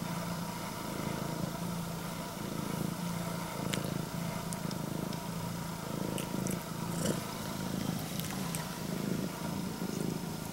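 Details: Female Scottish Fold cat with straight ears, red tabby and white coat, purring in greeting to her owner: a continuous low rumble with less distinct breath pulses, overlaid by scattered clicks and rustling from handling.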